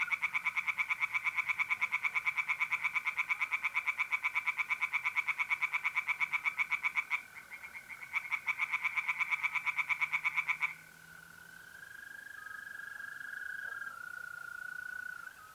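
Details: Pond tree frogs calling by night in mid-April in north-east Italy, a long rapid series of harsh, evenly spaced pulses lasting about ten seconds with one brief pause, followed by the continuous buzzing trill of mole crickets.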